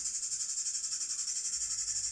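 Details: Cicada played back during a lesson on insects, the insect vibrating a body part to make its sound: a dense, continuous high-pitched buzz with a steady pulsing throb throughout, no other sounds.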